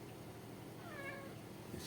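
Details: Indoor male Maine Coon kitten voices one faint, brief meow, a thin falling tone with soft harmonics, heard over constant low household hum and a light tap near the end.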